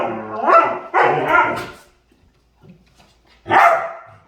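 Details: Dog making playful sounds while playing: two loud, harmonic barking yelps close together, a quiet pause with a faint murmur, then one more strong bark.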